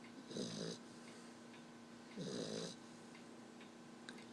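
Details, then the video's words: Sleeping black Lab pup, tired out for the day, gives two raspy snoring breaths roughly two seconds apart against a constant background hum, with faint ticking between them. "Puppy snoring"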